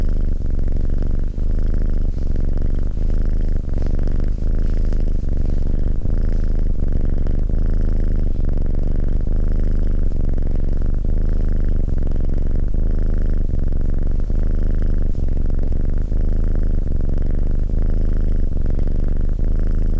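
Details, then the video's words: Close, loud cat purr rumbling without pause for twenty seconds, a low vibrating drone gently pulsing with the animal's breathing, very even in volume throughout, no other noises. "Cat Purring"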